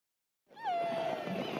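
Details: Killer whale call: a single drawn-out tone that drops briefly at the start, then holds steady and level, with a rich stack of bright overtones and faint background hiss.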